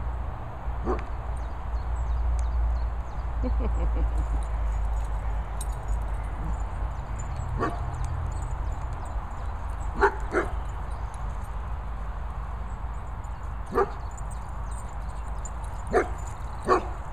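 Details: Dogs playing and running outdoors at training and boarding kennels in the Worcestershire countryside: Archie the Vizsla, Bridie the Chug and Sebastian the Poochon. Short, sharp barks come at irregular intervals, some in quick pairs, over a steady low wind rumble.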